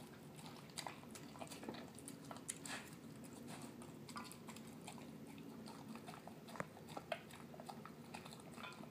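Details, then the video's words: Dinner for a male terrier mix dog: canned food with kibble, heard as dense mushy chomping and crunchy bites, several per second with occasional louder snaps, against a low indoor hum. "Dog eating yummy food"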